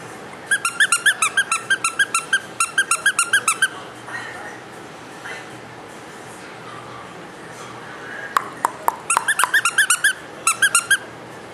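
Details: Small, lively young male Papillon dog; rapid bursts of high-pitched yips, a fast run of about twenty in the first few seconds, then a pause with room noise, then more clusters of short squeaky yips.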